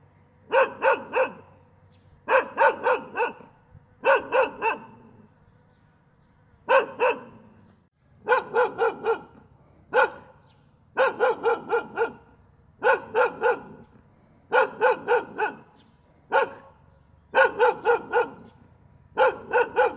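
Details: Dog barking continuously, gâu gâu: bursts of two to four sharp, harmonic-rich barks separated by short pauses, repeated steadily over twenty seconds with a faint low hum beneath.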